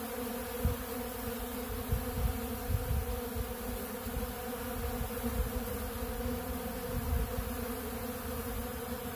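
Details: Swarm of honeybees working a big blue feeder of ultra bee pollen, producing a continuous low humming drone, thick and even, with small surges of nearby wingbeats scattered throughout.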